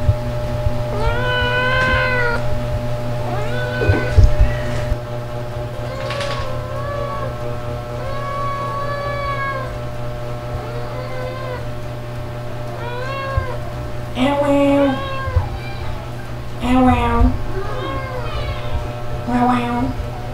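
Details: SOL, a ginger pet cat, meowing loudly to demand food from a person: a run of long wavering meows, then shorter sharp meows toward the end, over steady background music.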